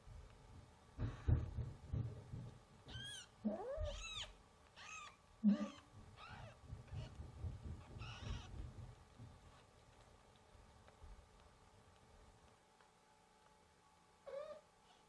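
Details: Newborn kittens crying while their mother is away: a run of short, rising-and-falling mewing cries, several close together in the first half, then a lone cry near the end, over low rumbling handling noise.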